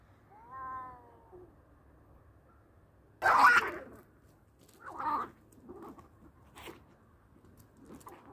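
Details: A short, strained harmonic meow opens the fight between two male cats. It is followed by loud, noisy bursts of spitting and hissing, then scattered softer rasping sounds.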